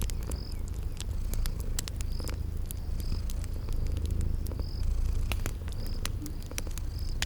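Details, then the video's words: Continuous low purr of sleeping kitties, mixed with crackling fire clicks and short high-pitched chirps recurring roughly every second in a spring garden ambience. "Relax with Cute Sleeping Purring Kitties"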